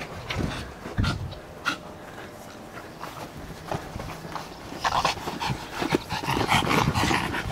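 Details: Overexcited little Yorkshire Terrier chasing a ball, with short breathy panting puffs and snorts at an irregular pace of about a hundred per minute, mixed with thumps and a French voice repeatedly shouting encouragement.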